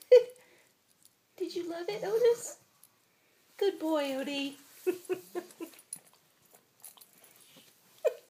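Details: Otis, a Boston Terrier, makes odd alien-like sounds while eating indoors: two bursts of wavering, harmonic whining grumbles, then scattered short noises, with a person's voice heard in the small room.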